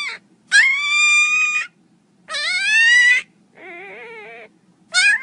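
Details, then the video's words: Mini pinscher puppy crying loudly: long, high, strained whines lasting about a second each, one sweeping upward, followed by a lower, softer wavering whimper, then another sharp cry, with brief silent gaps between. "cachorrinho chorando alto"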